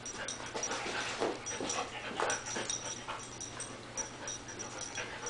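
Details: Small female dog wanting to play with the cat, giving soft breathy snuffling and panting bursts in an irregular run, roughly two per second, with a faint steady high whine underneath.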